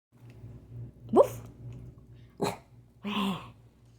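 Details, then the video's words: Dachshund indoors giving a quick squeaky sneeze, then a short sharp snort, followed by a single gruff woof, over a steady low hum. "Dachshund sneeze and woof."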